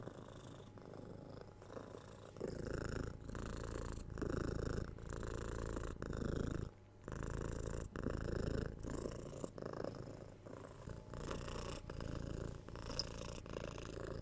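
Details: Cuddled six-month-old kitten receiving head scratches and soft kisses, recorded with a binaural 3Dio microphone; a loud, low rumbling purr alternates between inhale and exhale phases about every second, briefly pausing midway, with gentle scratching noises.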